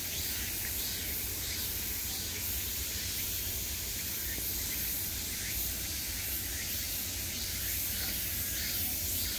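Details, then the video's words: Constant high, sizzling drone of cicadas calling from all around in midsummer, with a faint wavering rhythm and a low background rumble. "매미소리를 들으며 휴식. Cicadas's buzzing sound"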